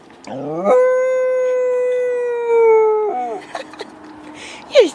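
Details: Dog howling after hearing sirens. One long, smooth, tonal howl holds nearly level for over two seconds, sliding slightly lower before breaking off. Brief softer noises follow, then a short, sharply pitched cry at the end.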